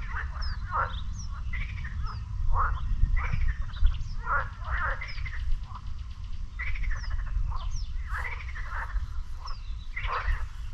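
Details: Lake frogs near the beach in Sinemorets calling on a May 2022 morning, a busy chorus of harsh rattling croaks in irregular clusters, some louder bursts, with scattered high bird chirps and brief sharp ticks over a low rumbling background.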